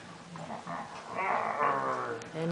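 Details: Baby Chihuahua Liebchen playing with a companion in her giraffe print bed, giving a short, rough, harmonic growl that rises in strength through the second half, with soft household noise underneath.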